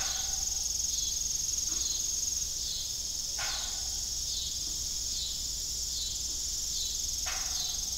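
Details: An evening cricket chorus at an abandoned farm windmill: a bright, high, evenly pulsed trill never stops, broken by three sharp broadband knocks.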